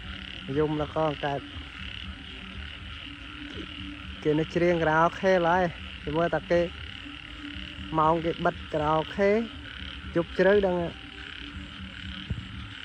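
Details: After heavy rain at night, frogs call in bouts of rapid, buzzy croaks that rise and stop in groups, with quiet gaps between bouts and a continuous insect hum overhead.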